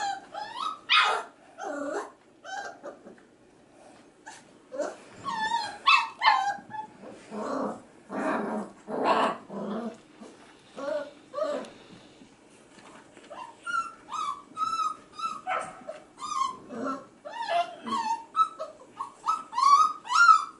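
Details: F1b Goldendoodle puppies aged five and a half weeks, male pups crying in the background as female littermates play with kids indoors. Bursts of high yips and whining cries alternate with short quiet gaps, some harsher growl-like sounds mixed in.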